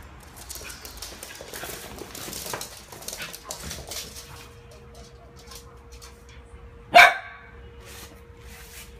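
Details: Play session between Coco, a four-month-old female Shih Tzu, and Milo, her one-year-old cousin, at home; soft scuffling and rustling, then a single sharp, loud bark near the end, over a faint steady hum.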